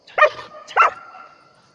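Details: German Shepherd giving two short, harsh barks about half a second apart, the second trailing into a thin fading tone; otherwise quiet.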